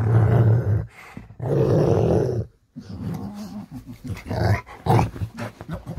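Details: Low, groaning growl-like rumbles from a Rottweiler as it wakes in the morning, in several sustained bursts broken by brief silences, with a person's voice in the background.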